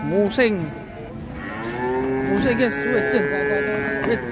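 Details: Sacrificial cow breaking loose from a truck at Siyono Harjo market, giving short bent moos followed by a sustained, slightly wavering bellow, amid crowd chatter and vehicle noise.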